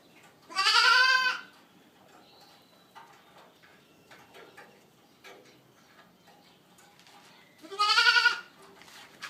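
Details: Boer goat kids whose mothers are registered, heard in two loud, rich harmonic bleats about seven seconds apart, separated by soft rustling and clicking sounds.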